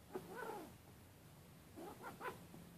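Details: Siamese cat play-fighting with an orange tabby kitten, wrestling and swatting; two brief clusters of low, harmonic growly vocalizations, one early and one after a quiet gap, over a faint steady hum.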